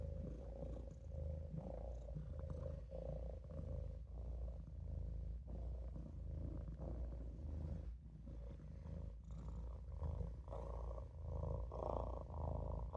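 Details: Maine Coon kitten Olof purring while napping in a sink: a steady low rumbling purr in rhythmic inhale-exhale pulses, roughly one cycle per second, with a faint midrange hum riding above and no other clear sounds.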